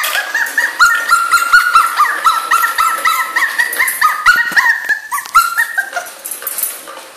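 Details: Two-month-old puppy Miu crying indoors, a continuous chain of short, high, wavering whines a few per second, strongest early and gradually fading toward the end, with faint clicks behind.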